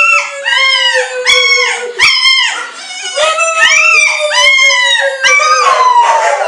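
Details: Pet dog Ona howls together with a person: a steady, sustained drawn-out tone runs beneath a string of arched, bowed cries repeated about twice a second, loud and continuous throughout.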